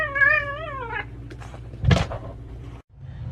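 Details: A domestic cat gives one drawn-out, wavering meow lasting about a second, its pitch wobbling up and down before trailing off. A short noisy burst follows, with a low hum and a quiet room behind.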